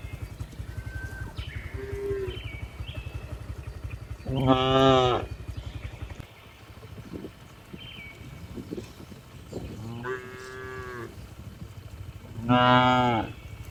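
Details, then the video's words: Tame cows returning to the barn in the afternoon, letting out loud, hoarse, strained moos and shorter calls, spread across the recording, with a droning engine, perhaps a motorcycle, in the background. "Funny Cow Sounds"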